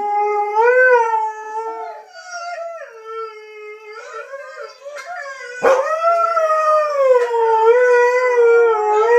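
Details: A Siberian husky howling on seeing his brothers, in long, wavering tones that rise and fall, with a brief sharp break midway.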